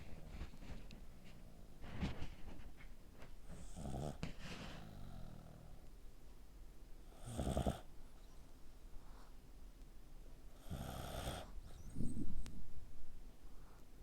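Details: Pet dog snoring like a human while asleep with its neck squeezed tight: quiet, irregular snores, three rough, breathy bursts spread across the stretch with soft low rumbling between them.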